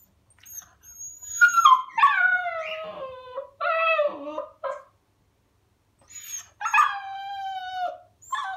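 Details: A 7-week-old Siberian Husky puppy gives its first howls, high and wavering, sliding downward and broken into short bursts.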